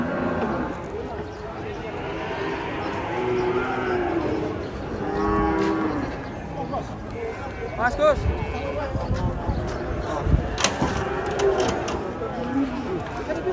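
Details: Amid a noisy crowd of cattle leaving a truck, scattered moos sound faint to moderate, one clearer rising-falling call standing out, over a rumbling background with sharp knocks.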